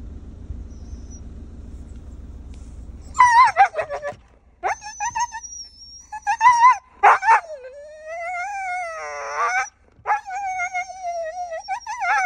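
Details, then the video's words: Max, a pet Siberian Husky inside a car, reacts to seeing a deer, begging to be let out to chase it: after engine rumble, loud wavering whines and howl-like yips that rise and fall, with bursts of yelping. "Reacción de perro Husky cuando ve un ciervo"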